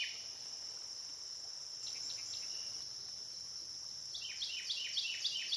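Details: Cicadas along the Licking River in Morning View, recorded through the night from dusk to dawn; a continuous thin high drone dominates, faint chirps appear midway, and a quick series of descending chirps starts near the end.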